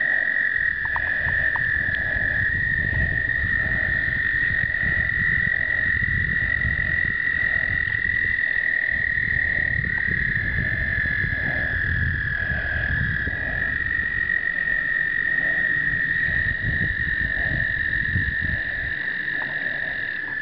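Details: Chorus of American toads during explosive breeding, 2009, captured with a pocket Canon point-and-shoot: sustained high trills blend into an unbroken drone, with a faint lower pulsing call repeating about once a second and low rumbling background noise.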